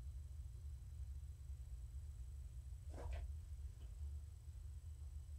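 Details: Short stretch of low, pulsing purring from Morticia, a female pet cat, being petted indoors in the evening, broken by one brief rustling scrape in the middle.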